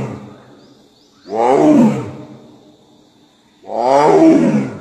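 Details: Bengal tiger roaring twice, each call a deep, rough, moaning burst about a second long with a falling tail, separated by roughly two seconds of quiet; a faint steady high whine runs underneath.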